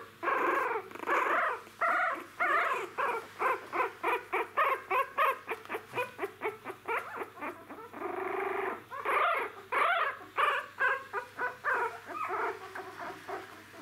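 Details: Young Jack Russell Terrier puppies taking their first steps whimper and squeak in a rapid, uneven series of short pulses, about a hundred a minute, with a few longer drawn-out whines mixed in.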